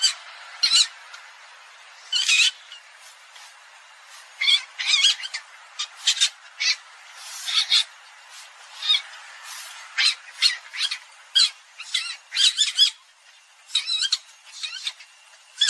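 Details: Palm civet giving sharp, harsh screeches as short broadband bursts, repeated at uneven intervals of about half a second to two seconds, some coming in quick pairs, over a faint steady background.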